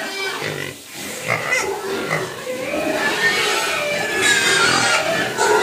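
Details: Pigs crying from hunger and begging to be fed, a steady wash of overlapping squeals and grunts that swells after the first second and stays loud to the end.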